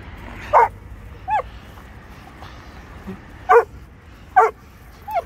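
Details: Dog barking during a German shepherd versus Presa Canario encounter with a mother and puppies: four short, sharp barks spaced irregularly, plus a couple of thin rising whines in between.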